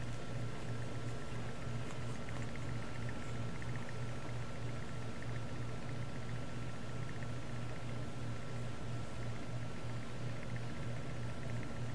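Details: Indoors, a steady electrical hum drones throughout, with a pulsing low buzz and a faint constant high tone, and no animal voices.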